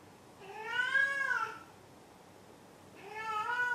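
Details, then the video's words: ['Domestic cat meowing indoors: two drawn-out, harmonic-rich meows, the first rising then falling over about a second, the second starting after a short pause, with a quiet room in between.'] "鳴くねこ５。 Meow Meow Maru 5"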